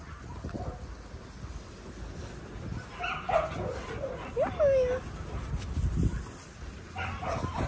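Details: Linc, a baby Australian cattle dog, playing with bigger puppies in a paddock; a couple of short, high yelps and a falling whine come mid-clip over steady low rumbling noise.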